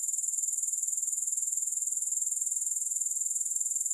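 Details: Unbroken, high-pitched grasshopper trill, evenly pulsed around four beats a second, with no music or other noise.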